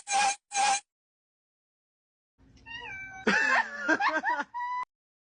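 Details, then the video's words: Domestic cat giving a run of meows: two short bright mews at the start, a pause, then a longer wavering, falling meow with rising and dipping pitch, ending on a brief steady tone. "Cat Funny Sound"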